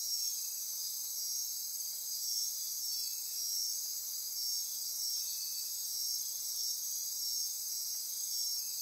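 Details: Insects after dark in the Osa Peninsula rainforest of Costa Rica, near Corcovado National Park: a thick, high-pitched trilling drone with slight rhythmic pulses roughly every two seconds, steady loudness, nothing else prominent.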